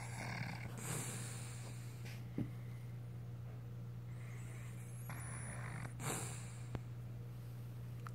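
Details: Dixie, an old female beagle, snoring as she does every day; breathy snorts rise and fall every couple of seconds over a steady low hum, with a few faint clicks.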